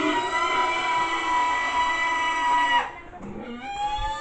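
A sustained harmonic tone, like a guitar or other instrument, cuts off into quieter gliding sounds; no animal is heard.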